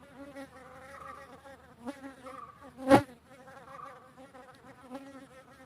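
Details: Western honey bee (Apis mellifera), wing buzz.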